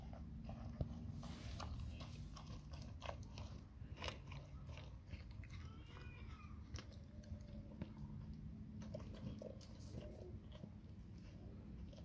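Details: Nona, a Labrador Retriever, chomping through a huge grilled sandwich in a small room: loud crunchy bites and smacking chews, repeated rapidly and unevenly, over low room rumble.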